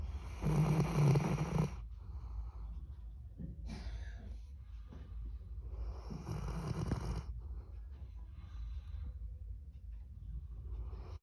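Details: Labrador Retriever named Candy making a funny sound after sleep: rough, snore-like nasal snorts and grunts, strongest in a long burst at the start and again around six seconds, over a steady low rumbling breath throughout.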